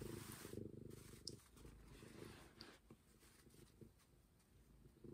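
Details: Momi, a stray cat, purring in a deep rattling rumble, mixed with rustling and scraping handling sounds that come and go.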